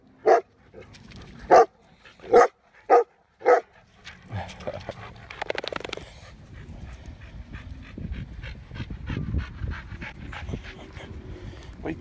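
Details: Male Black Russian Terrier chasing playing dogs at a dog park: five loud, abrupt barks in quick succession over four seconds, followed by panting, scuffling and rustling noise.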